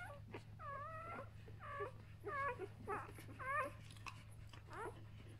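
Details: One-day-old Samoyed puppies whimpering: a series of squeaky, wavering whines that bend up and down, each lasting under half a second, coming in irregular bursts with short gaps, over a steady low hum.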